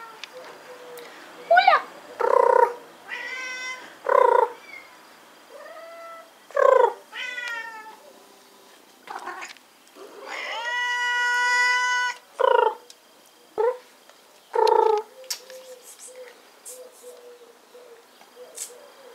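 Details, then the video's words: Rescued cats awaiting adoption with the Asociación Cuatro Gatos Y Tu, giving a run of nine or so harmonic meows, mostly short and sharp, with one long drawn-out wail in the middle and soft chirrups trailing off at the end. "Rescued cats for adoption"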